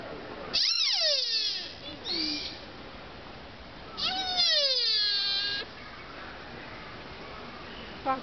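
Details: In Nara Park, Japan, a deer gives two strange, long, drawn-out calls that slide downward in pitch, strained and moaning, almost like an angry baby.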